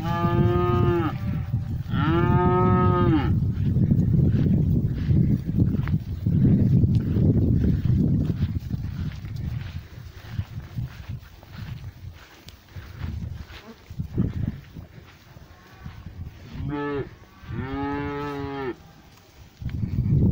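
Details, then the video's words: Cows mooing in a pasture, one black cow approaching close; two long harmonic moos open the clip, a quieter stretch of low rumbling and shuffling follows, then two more moos near the end. "Cows mooing in the pasture."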